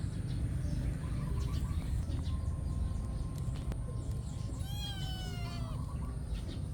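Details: A cat squabbling over food lets out one drawn-out, wavering meow near the end, with a thin steady tone and heavy low rumble underneath.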